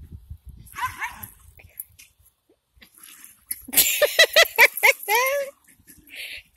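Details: Jack Russell Terrier, one of two pets in a lively household, breaks into a quick burst of high, yappy barks and short whines, clustered rapidly over about two seconds after quieter rustling.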